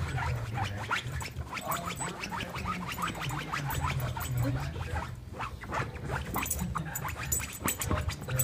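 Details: Exhausted male Boston terrier settled on a couch, giving a steady run of rasping nasal snorts and pig-like grunts, closely spaced and uneven, with no other clear sounds.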